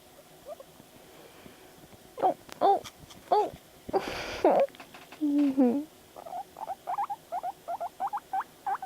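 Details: Pet guinea pig Panda reacting to videos; a few longer tonal calls and a low drawn-out note mix with a loud breathy burst, then a steady run of quick upward squeaks at the end.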